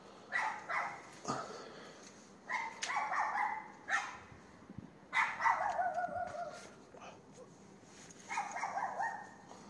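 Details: A neighbour's dog in Castelldefels, Spain, barks at 22:30 on 18 May 2021 across the street. Short runs of two or three harsh barks come in bursts separated by brief pauses, with steady faint background hum.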